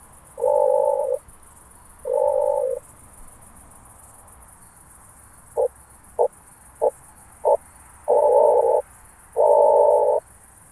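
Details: Through a Pettersson D 100 ultrasound detector, an oak bush-cricket in Starnberg, Germany, 18 July 2023, gives two long buzzing bursts. Four evenly spaced short ticks follow, then two further long bursts, all over a soft hiss.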